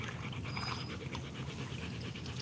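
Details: Rottweiler panting steadily during a live stream, a soft rapid rhythmic huffing of breath repeated several times a second with a constant low hum beneath; a person talks about a green ball nearby.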